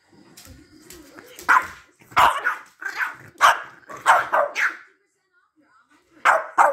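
Boston Terriers trade rough, grumbling growls and yappy bursts in a noisy squabble between two dogs.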